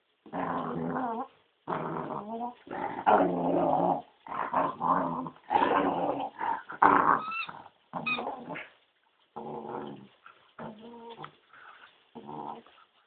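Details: Corgi growling for a blackberry it wants, with grumbling, harmonic growls in bursts of about a second, separated by short pauses, some rising into whiny tones.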